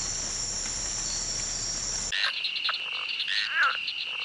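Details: Insects in grass buzz in a steady, high-pitched drone, then give way to a lower, trilling chorus.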